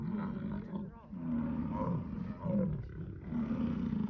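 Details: An American bison bull in Yellowstone bellows during the breeding rut, a deep, rumbling roar rising and falling in long pulses.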